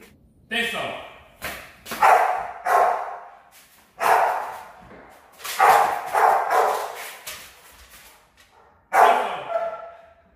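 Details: Rottweiler puppies in a training routine for high-performance guard work: sharp, harmonic barks come in separate bursts, about eight across ten seconds, with gaps between them and a person speaking encouragement nearby.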